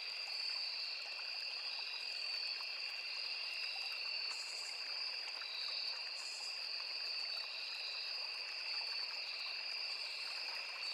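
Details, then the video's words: Crickets calling in a forest beside a small river, mixed with cicadas and other insects: two steady, high, unbroken trilling bands hold through the whole stretch over a soft rushing of flowing water. "Crickets, Cicadas, Insects"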